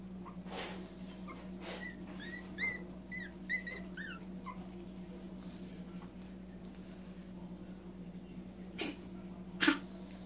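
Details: Three Yorkshire Terrier puppies, out of their pen for a short playtime, give a run of thin, high whimpers and yips over a steady electrical hum.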